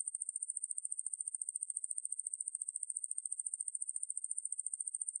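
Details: Ruspolia lineosa, a conehead katydid, in a 2020 National Institute of Biological Resources recording: a shrill, evenly pulsed buzz, about fourteen pulses per second, holding steady in pitch and loudness throughout with nothing else audible.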